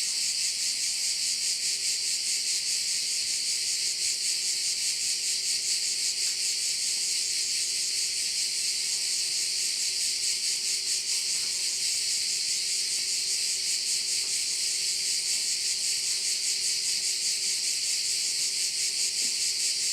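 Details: Crickets at a bay in Korčula, Croatia: a dense, shrill, continuous high buzz that pulses steadily about two and a half times per second throughout, with a faint steady low hum underneath.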